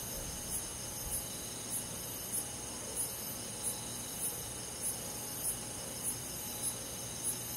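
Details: Crickets and other insects on a quiet summer night in a countryside forest; short, very high chirps pulse about every 0.6 seconds, twelve in all, over a steady, high, ringing insect drone.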